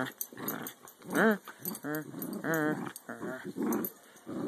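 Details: Two-year-old female American Eskimo dog playing tug with a 12-week-old puppy, growling to sound mean though only playing; a string of rough grumbles breaking into wavering, whiny rising and falling notes, roughly five bouts.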